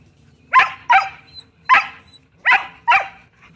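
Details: Shetland Sheepdogs Bella and Beetle barking to get a ball game going; five crisp barks in about three seconds, a pair, a single, then another pair, with little else audible.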